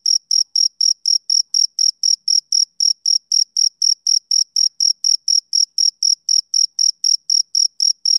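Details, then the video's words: Male cricket chirps through a quiet summer evening, a rapid even pulse of thin, shrill notes around four per second, each ending cleanly before the next, nothing else audible. "Cricket Chirping Sound Effect"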